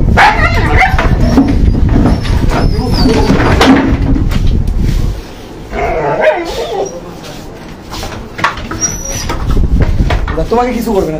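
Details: A dog being rescued gives short whimpering yelps and a few barks, with close Bengali speech and handling noises throughout, plus a quieter stretch midway.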